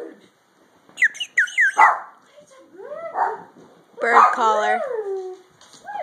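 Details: Dogs reacting to a bird call at home give short, bright, high-pitched yelping barks early on, then a longer drawn-out whining howl with sliding tones, while a man talks and calls to them between the sounds.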